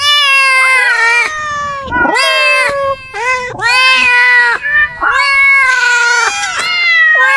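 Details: Loud cat meows tumbling one after another: drawn-out, bending wails with occasional short chirpy notes crowded between them, almost no silence.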